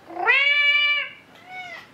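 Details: Recorded kitten calling its mother, played back indoors to help find a lost cat: a loud drawn-out rising-then-level meow lasting about a second, followed by a softer, shorter second call.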